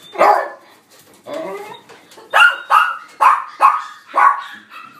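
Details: Mixed-breed male puppy in a pet shop, born 31 December 2018, white and black coat, barks repeatedly indoors: one loud bark, a softer pair, then five sharp yaps in quick, uneven succession.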